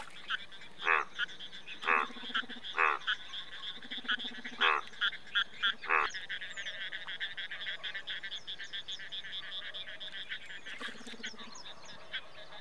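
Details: Indian bullfrog, India's largest frog species, giving loud harsh croaks in uneven bursts, some doubled, with a steady low droning chorus and high insect-like ticking behind.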